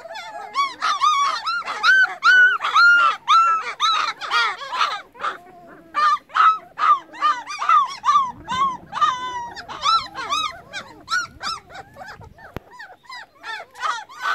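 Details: Young puppies with newly opened eyes call busily for their mother while she is away. Rapid, overlapping high yelps and squeals run almost continuously, some bending up then down, with brief scuffling noise midway.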